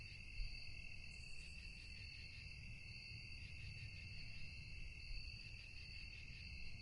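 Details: Crickets chirping through the quiet night, a constant high-pitched ringing trill in stacked layers with slight pulsation, one brief very high buzz early on and soft low background noise.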